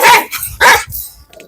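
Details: Two loud, rasping barks from a household dog known for biting, followed by a quiet growl-like rumble.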